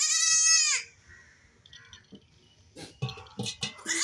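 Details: Baby goat at play giving one strong, high, quavering bleat at the very start, followed by quiet rustling and a few soft knocks.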